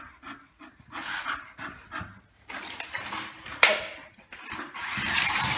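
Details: Bull Terrier playing with a remote-controlled car, panting in quick breathy huffs roughly every half second, then a sharp click and a stretch of louder hissing noise toward the end.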